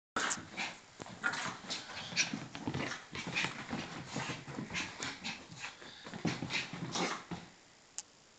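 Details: Yorkshire Terrier mother playing with her one-year-old pup indoors; a steady run of short, breathy whimpers, snuffles and scuffling bursts, with a few sharper squeaks.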